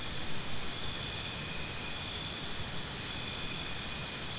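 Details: Cricket starting a brisk series of high, regular pulses after the first second, about five each second, continuing to the end above a steady hissing chorus of insects.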